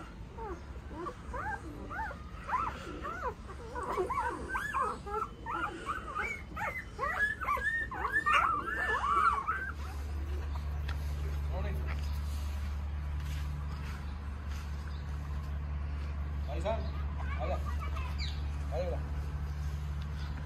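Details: Tibetan Mastiff puppies giving a dense run of high, rising whimpers and yelps for about nine seconds, then falling quiet under a steady low mechanical hum.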